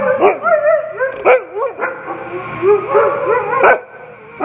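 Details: A pair of Siberian Huskies held by a rescue group howl and yodel in short wavering bursts, pitch bending up and down, mixed with brief yips and woo-woo sounds, two voices overlapping throughout before fading at the end.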